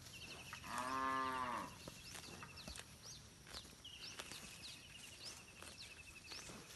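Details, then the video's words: Village cattle roaming free in a rice field while eating grass: a strong, rich moo of about one second near the start, then quieter field ambience with thin high chirping trills. "suara sapi moo"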